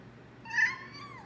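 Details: A pet cat meows in a way said to sound like her own name: one clear, tonal meow lasting under a second, holding level before bending slightly downward at the end, in a quiet indoor setting.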